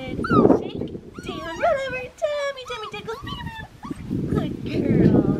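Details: Black tri female Australian Shepherd puppy from an Oklahoma breeding farm whimpering in a run of high, wavering whines that rise and fall, with people talking at the start and end.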